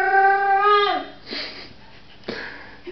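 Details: Samoyed pup indoors holding a steady, harmonic-rich howl that slides downward and ends after about one second, followed by quiet rustling and faint room noise.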